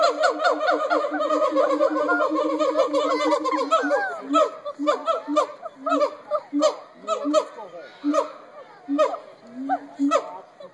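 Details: Captive gibbons at the Cincinnati Zoo hooting and howling: a fast run of rising, whooping harmonic notes for about four seconds, then slower, separated hoots and short yelps spaced roughly every half second.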